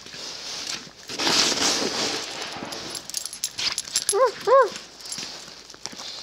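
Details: A dog that loves snow crunches and eats it, then gives two quick, high, whining yelps close together. A person talks to her before and after.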